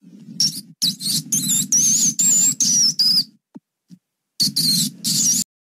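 A mouse gives a run of thin, high squeaks in quick bursts, some with wavering, sliding pitch.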